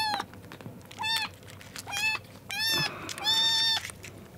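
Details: Rescued kittens, found soaked on a road and on their second day in care, meowing while competing for milk: loud rising-falling harmonic meows, several overlapping, in bursts about every second, with sharp high squeaks between them.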